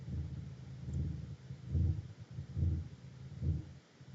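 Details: Blue whale (Balaenoptera musculus): deep, booming, very low-frequency pulses repeat about every second, muffled beneath a faint background hiss, with dolphin chirping also present.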